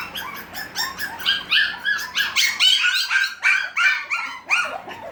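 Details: Six-week-old Havanese puppies inside a small room letting out sharp, high barking yips in a rapid, uneven chorus, about three per second, bright and squeaky.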